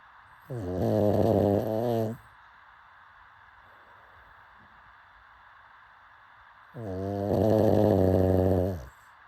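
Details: Asleep, a pug gives two rough, throaty snores lasting around one and a half to two seconds, spaced roughly six seconds apart over soft background hiss.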